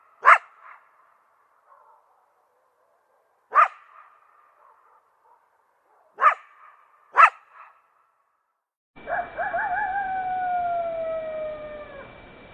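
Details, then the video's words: Coyote gives four sharp, echoing barks at uneven intervals, then a long harmonic howl that slides gently downward against a steady background hiss. "ЗВУК КОЙОТА | Який звук видає койот"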